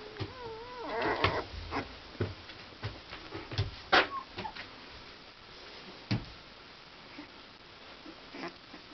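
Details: Akita puppies give thin, high whining squeals that waver up and down in the first second. Scattered knocks and soft clicks follow in a quiet small room.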